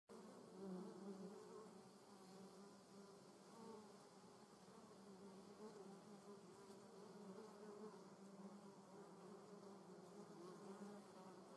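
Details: Paper wasps and yellow jackets in a garden: a continuous low droning buzz with steady humming tones, the loudness swelling and dipping slightly as the insects move about, with no other clear sounds.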